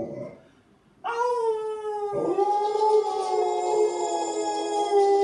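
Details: A teased Alaskan Malamute howls: a short sound, a pause, then a long sustained howl rising slightly and then holding steady, strongly harmonic, lasting about four seconds.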